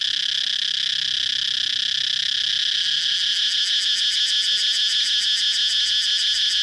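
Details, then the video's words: Steady shrill cicada hum that grows into a quick pulsing throb after about three seconds. The beats keep on evenly to the end with no pause. "cicada chirping sound"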